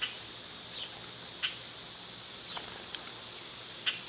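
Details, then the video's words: Loud summer cicadas droning continuously in a high, hissy band, with scattered sharp clicks and tiny chirps from other small creatures. "Cicada sounds"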